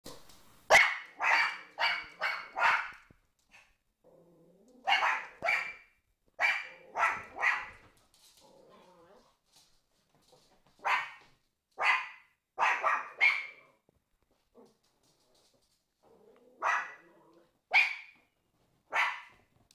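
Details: Two Pomeranians named Prince and Fifi barking: sharp high yaps in quick bursts of three to five, separated by short pauses, with faint lower whines and growly sounds between bursts.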